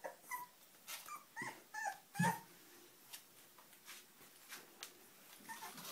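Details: Indoor puppies give short, thin squeaks and whimpers every second or so, separated by soft clicks, taps and shuffling noises.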